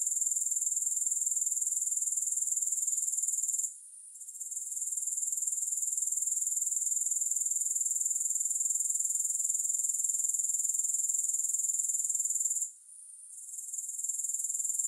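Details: Grasshoppers' sustained high, hissing buzz with a regular four-per-second throb, no music, broken by two short silent dips, one early and one late, after which the sound swells back.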